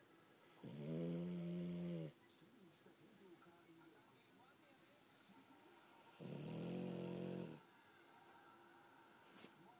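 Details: Snoring French Bulldog Gomashio while asleep: two long, rattling, low snores about five seconds apart, each over a second long, with soft breathing and room noise between.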